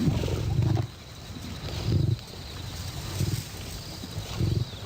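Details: Wild lion from a documentary on lions designed for combat, giving a series of heavy, very low grunting roars spaced roughly every one and a half seconds, each a short booming burst over a steady rumbling background.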